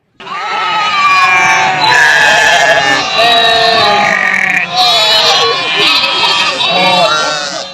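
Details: Sheep bleating: a run of loud, wavering, nasal bleats with a shaky tremolo, one long call after another almost without pause.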